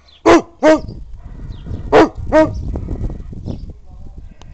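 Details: Elderly Hungarian Kuvasz giving warning barks without biting. Two pairs of full, deep barks are heard, followed by a steady low rumbling background noise.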